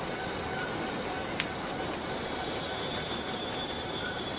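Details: Unbroken high, sizzling buzz of forest cicadas, steady in loudness, with a single short click near the middle and faint thin tones underneath.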